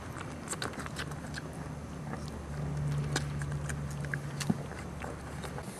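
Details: Mia, a mother pit bull (American Staffordshire Terrier), growls at her 4-week-old puppies while eating a treat, showing food aggression indoors: a low steady rumble of about two seconds ends in one sharp snap, amid scattered chewing and clicking noises.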